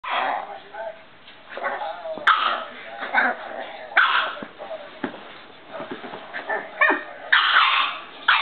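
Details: Boston Terrier playing with its owner, giving rough growly grumbles and short yippy barks in uneven bursts, with a person's voice now and then.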